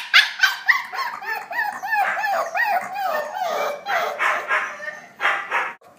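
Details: Puppies calling to one another in a burst of overlapping high yips and whining notes, several voices tumbling over each other at a quick, uneven pace.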